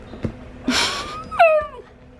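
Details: Alaskan Klee Kai dog in happy moments indoors: a short breathy huff followed by a rising then sharply falling whiny yelp with clear harmonics, lasting under a second.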